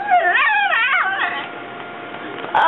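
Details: Vocal three-legged female Chihuahua puppy "talking": a short wavering, bending whine-howl in the first second and a half, followed by quieter sound and a brief noise at the end.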